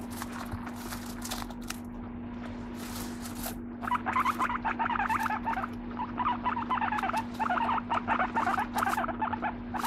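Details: Pet guinea pig calling indoors: after a few seconds of rustling and clicks, dense squeaky chattering begins and runs in quick bursts for the rest of the clip, with a constant low electrical hum underneath.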